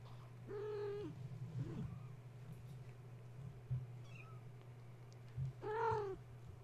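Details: Kittens of the mother cat Gaia, woken at bedtime when a space heater was plugged in and then playing wildly in their kennel: two clear rising-then-falling meows several seconds apart over a steady low electrical hum.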